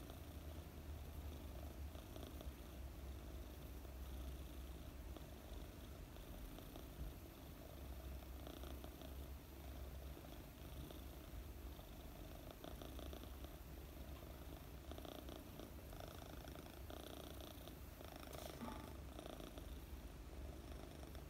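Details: Sleepy four-month-old British Longhair kitten named Mooni purrs steadily through long petting, a deep unbroken rumble with gentle rhythmic rustles of fur being stroked and no other sounds.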